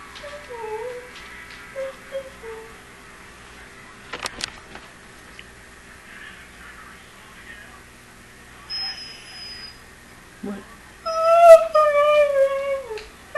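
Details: Juno, a pet dog, whining for a run once running shoes go on, the same whine that wakes at 5:30 each morning: short falling whimpers early on, then a long, loud, wavering high whine near the end, a human voice alongside.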